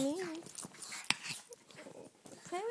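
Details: Playful Chihuahuas Flicker and Tootie, rescue dogs fostered in South Florida, with Dunkie nearby; a high, wavering whine rises and dips at the start and returns at the end, between a woman's voice talking to the dogs and a sharp click.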